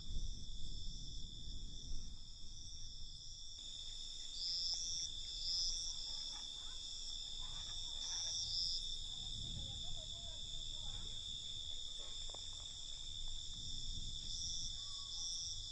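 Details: Crickets at night keep up a continuous high, layered trill; brief chirpy calls and low rumbling noise come and go around it.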